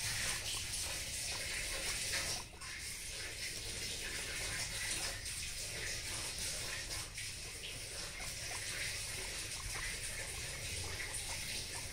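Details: Steady rushing water like a running tap or filling bath hisses throughout, with no animal sound heard.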